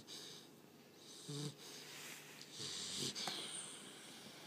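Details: American Bulldog puppy Maya snoring loudly, here more wheezy than rumbling: a short nasal snort followed by long raspy, hissing breaths, with a drawn-out whistling exhale near the end.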